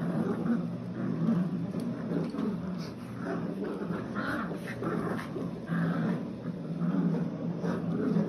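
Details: Seven-week-old Old English Sheepdog puppies, a litter of nine, playing tug-of-war with new tug toys. Continuous overlapping growls come in uneven surges about once a second, mixed with small yips and whines.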